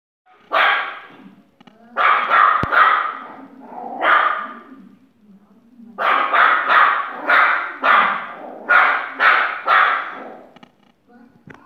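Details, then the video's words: A West Highland white terrier puppy barking at a yogurt pot: bursts of sharp, high yappy barks in two runs, about four barks then a pause, followed by a rapid series of around seven barks. "Westie Pup) barking at a yogurt pot"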